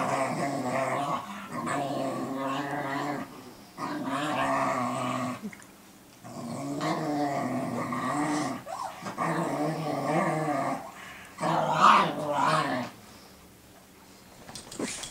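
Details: Cooper and Sophie, two dogs, trading long growls while Sophie teaches Cooper to guard; sustained rumbling growls in roughly two-second bouts separated by short pauses, with a sharper outburst near twelve seconds.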